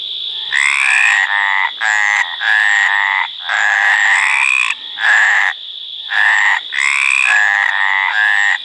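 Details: Mediterranean tree frog calling in courtship: long, loud, harsh croaks lasting about half a second each, repeated in quick bursts, with a steady high insect-like whine running underneath throughout.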